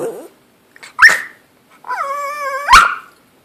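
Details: Pet dog begging for food while its owner eats lunch: a brief yelp, then a long steady whine with a clear nasal tone, ending in a sharp bark that slides downward, indoors with quiet pauses between.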